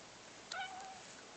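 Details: Persik, a pet cat indoors, answering his owner's request to say "kva" with one short meow, a brief bright call of about half a second that falls slightly in pitch, against a steady hiss.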